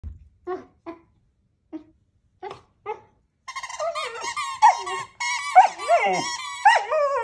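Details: Puppy whining while playing with a squeaky toy: short soft squeaks at first, then from about three seconds a continuous run of high, wavering, harmonic whines and squeals with rising and falling bends.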